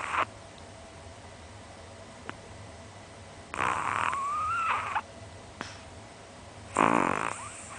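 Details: Asleep Chihuahua, a small pet dog about 20 cm tall, snoring like an old man with its tongue hanging out and twitching. Two raspy snore bursts, the first long with a thin rising whistle, the second shorter, over a quiet room hiss.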